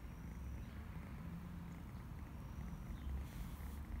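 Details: Domestic cat purring: a dense, low, rumbling drone that holds steady for four seconds, with a brief hiss of noise near the end.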